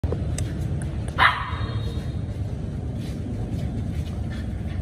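A Samoyed gives one short, sharp bark over a steady low rumble of background noise.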